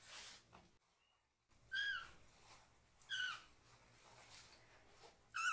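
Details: Rescued foster kitten, one of three siblings still needing toilet help, crying loudly while its lower body is washed. Three high, harmonic meows with bent pitch come about every one and a half seconds, with faint running-water background.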